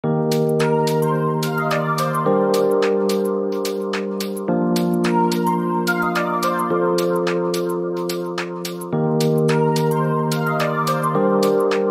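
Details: Keyboard music of repeated chords and plucked notes plays throughout, with no barking or other animal sound.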